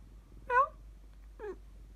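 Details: Pet cat replying when its owner talks to it in cat language indoors: two short meows about a second apart, the first louder and clearer, the second softer and bending downward.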